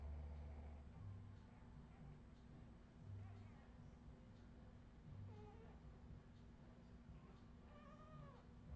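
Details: Australian Terrier puppies from the Redwing litter, 2018, giving thin whimpering whines that bend up and down, a few short cries early, then clearer wavering whines near the middle and end, over a steady low rumble.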